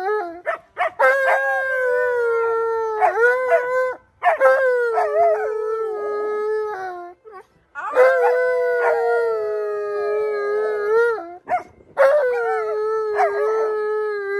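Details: Tonka, an Alaskan Malamute, howls when asked to teach a howling lesson: long, sustained, mid-pitched wavering tones, each held for several seconds with a slight fall at the end, broken by short pauses and yips.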